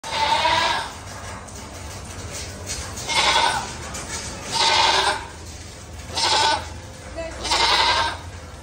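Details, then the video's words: Goat kept as an Eid sacrifice animal in 2024 bleating five times, each a loud, nasal, wavering bleat lasting under a second, coming roughly every one and a half seconds over a faint, steady background hum. "আমাদের কোরবানীর ছাগল-২০২৪"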